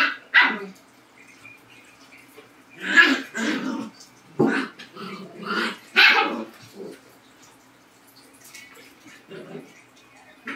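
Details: Labrador and Husky dogs give loud, harsh barks and yelping cries in irregular bursts, some drawn out into whining tails, with quiet gaps of a second or more between the outbursts.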